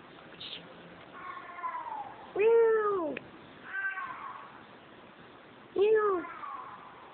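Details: A she-cat on Kos, Greece, pestering to be let into a room with constant meowing: two strong, arching meows about three seconds apart, softer meows between them.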